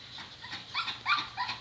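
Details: Thai Ridgeback, a 4.5-year-old male living almost two years in a shelter, at a first touch with a stranger: a few short, thin whines rising in pitch, spaced about a third of a second apart, over quiet background hiss.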